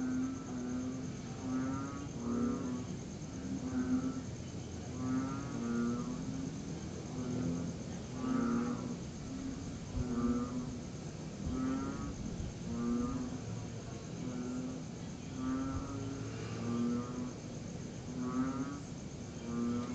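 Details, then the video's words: Night chorus of tree frogs after rain, September 2021, recorded during a lull in a long steady downpour. Many low pulsed croaks overlap in a dense, uneven rhythm over a continuous high-pitched cricket trill. "Tree Frogs and Cricket Sounds After The Rain"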